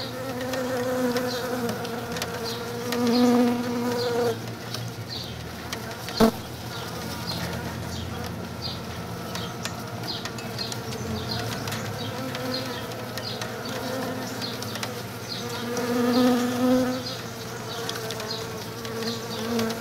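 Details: Honey bees crowding over comb scented with lemongrass oil inside a shipping box, a potential swarm trap, make a steady, droning hum that swells louder now and then as more bees fly close.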